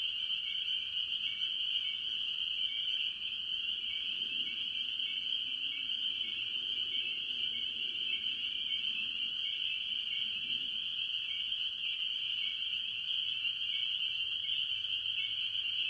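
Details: A farm pond chorus early in the year, mostly spring peepers among various tree frogs: a shrill, continuous high ringing of overlapping peeps, with faint low murmuring sounds in the background.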